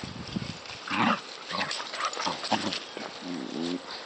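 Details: Border Collies Match and the puppy Maylee play-fight roughly, with Maylee giving it right back; short, low, rasping growls come in bursts about every half second, mixed with scuffling and panting noises.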